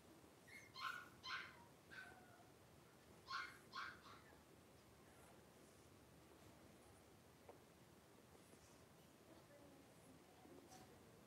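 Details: Wrestling litter of five blenheim Cavalier King Charles Spaniel puppies, three weeks old, in a puppy pen at home; clustered high yelps and whimpers in two bursts early on, then mostly quiet with faint shuffling.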